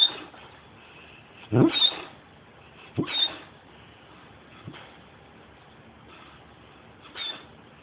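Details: Giant hound sleeping deeply, worn out after two days with canine friends, cheeks puffing as he snores: a few irregular breathy snorts with faint whistling tails, separated by quiet stretches of a second or more.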